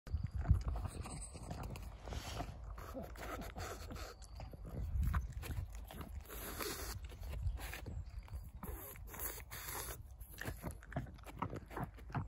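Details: Pug making low snorting, snuffling and grunting noises, close and continuous, with rough breathy bursts throughout and faint rustling.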